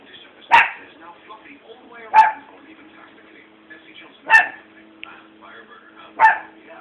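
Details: Pet dog either barking or hiccuping; four short, sharp, tonal bursts spaced roughly two seconds apart, each rising abruptly and fading quickly, over a faint steady hum and low background murmur.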